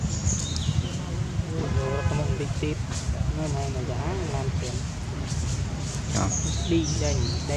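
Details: Monkey named Sean in a park, crying loudly and hurt after another monkey, Jane, hit and bit him hard; wavering, tonal wails rise and fall in short bursts over steady low rumbling background noise.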